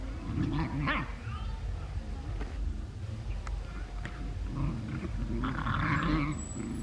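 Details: Several dogs in Cambodia playing with another dog give deep, rough barks and growly bursts, with a brief higher yelp in between.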